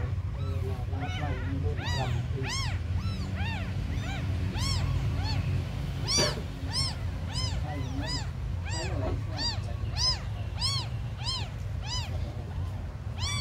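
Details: Small abandoned kittens crying with repeated high, rising-and-falling meows, roughly one or two per second, growing louder and more regular after the opening seconds, with low background rumble throughout.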